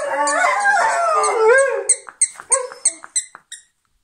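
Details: Rhodesian Ridgebacks singing: a wavering, overlapping howl for nearly two seconds, ending on a rising note, followed by a run of short high squeaks repeated about every third of a second that fade away.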